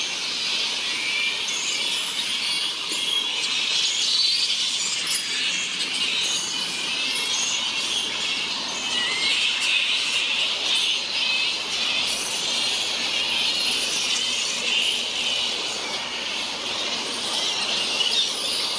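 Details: Grey-headed flying foxes roosting in a large colony on the NSW Mid North Coast, Australia, keep up a steady wall of shrill squabbling squeals and chattering calls, many animals calling at once throughout.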